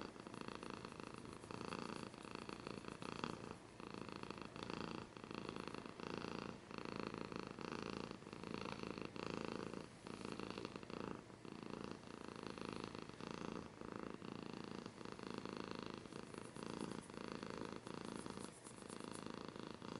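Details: Close-up house cat purr, a sustained buzzing rumble pulsing with every breath for the whole stretch, breath cycles evenly spaced and unbroken, faint scratchy textures layered on top.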